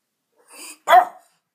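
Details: Pet dog barking at a window indoors; one soft huffing sound followed by a single sharp, short bark, then silence.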